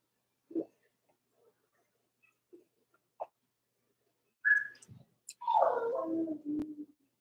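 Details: Four-week-old Cavalier King Charles Spaniel puppies from the second litter of Robin, a Blenheim Cavalier. A few soft short squeaks are followed by a high whine and a wavering, falling harmonic whimper lasting over a second.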